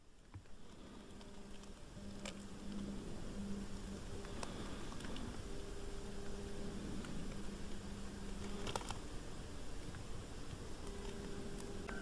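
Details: A stonefly, possibly a Perla, about 25 mm long, in a countryside garden shed in Morbihan in winter 2021–2022, makes a low droning buzz in bursts of several seconds, with scattered faint ticks and taps.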